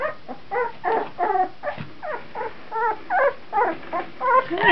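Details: Two-week-old puppies, 14 days old, filmed in 2009: a run of short high whimpers and squeaks with stacked harmonics, about two or three per second, rising and falling in pitch, a steady murmur beneath.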